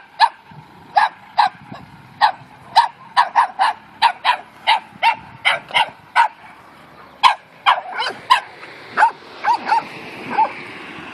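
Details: Barking dogs confront Newfoundland dog Capy, shown keeping his nerves of steel; a steady run of about twenty short, sharp barks, some in quick doubles, with a soft background hiss rising near the end.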